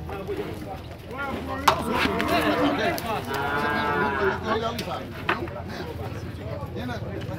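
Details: Nelore cattle being sorted in the corral at the cattle fair in Tabira, Pernambuco, Brazil; several overlapping, wavering moos rise and fall through the middle seconds, with handlers' shouts and clattering in the pen.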